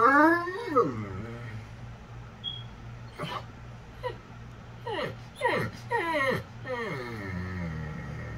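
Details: Dozer, a 190 lb dog that does not bark, whines like a baby indoors. His drawn-out, high, wavering whines slide downward, several in a row. A person teasingly talks to him between them.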